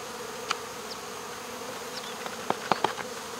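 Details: Swarm of honey bees at a local baseball field during removal, queen boxed and the rest coaxed off a wall; a constant droning hum underlies several sharp clicks and taps in the second half.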